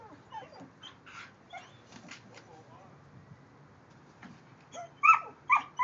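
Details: Playful social dogs, including Kerry Blue Terriers Quinn and silver Keely, meeting the dog next door: soft scattered whimpers, then loud, sharp, upswept whining yelps near the end.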